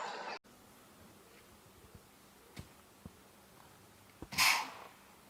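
A deer gives one sharp, breathy snort, a sudden hissing burst of air after a few faint clicks.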